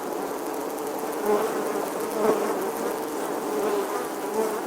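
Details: A bee droning in summer, a steady, slightly rough hum with gentle rises in loudness, heard against faint, even background hiss.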